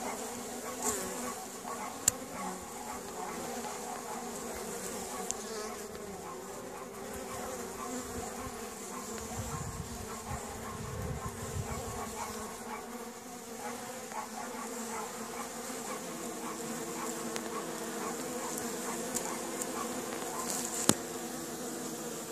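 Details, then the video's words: Honey bees active at the hive entrance at Caribou Bee Apiary on a sunny April 25th, 2015, bees out in force; a steady, dense low buzzing hum of many insects throughout, with occasional brief clicks. "honey bees active"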